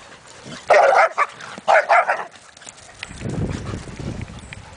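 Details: Dogs playing in a yard: Oreo, a foster pit bull, bugging Henri, a boarding poodle, alongside Dexter, a lab/golden mix service dog in training, and Inara, an Aussie. Two quick bursts of sharp barks, then a low rumbling sound.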